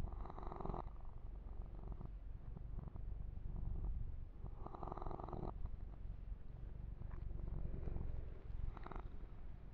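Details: Domestic kitten purring steadily while being massaged and groomed, a continuous low rumble with periodic louder bursts of brushing or rubbing noise every few seconds close to the microphone.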